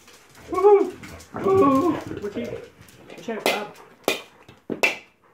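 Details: Bob, a Labrador Retriever, during his usual morning game of football; two harmonic barks or whines early on, followed by a person speaking and sharp knocks.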